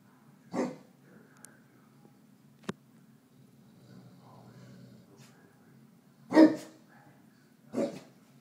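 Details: Male Neapolitan Mastiff reacting protectively to his reflection in a mirror: a few scattered single barks, one early and two close together near the end, separated by long quiet gaps with faint clicks.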